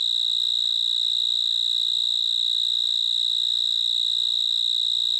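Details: Cricket. A cricket gives a loud, pure, high-pitched trill, held almost continuously with a faint rapid pulsing. A thin, higher overtone rides above it, with a little soft background rustle underneath.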